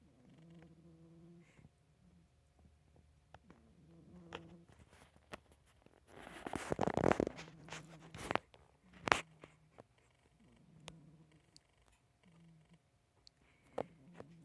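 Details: Sleeping house cat giving quiet, low, rattling snores at a steady rhythm of roughly one every two seconds, with a burst of rustling and clicks near the middle.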